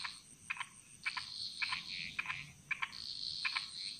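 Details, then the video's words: A frog in the jungles of Bali, Indonesia, giving sharp paired clicks roughly every half second, while a wavering high chorus of other callers and a thin insect tone run underneath. "Frog Mantras - Relaxing Sounds Of Bali"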